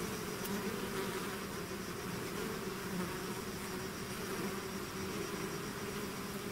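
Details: Steady hum of a bee swarm emerging from the hive, thick overlapping buzz tones layered under a broad airy hiss, unchanging in loudness across the whole stretch.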